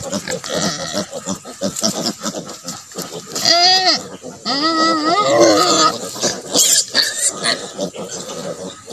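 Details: Native pig sow with her piglets, left to develop natural mothering ability on a farm; loud harmonic squeals around the middle over a steady patter of short grunts, with a person speaking briefly.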